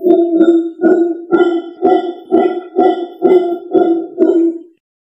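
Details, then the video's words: A howler monkey gives a deep, harsh, throaty series of grunting roars, about two pulses each second, then stops abruptly. "SUARA MONYET PELOLONG"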